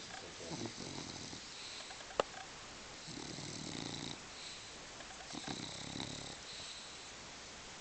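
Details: Dog named Sofia sleeping soundly, snoring in slow, breathy, rasping bursts, each lasting about a second or longer and separated by quiet pauses, with one sharp click early on.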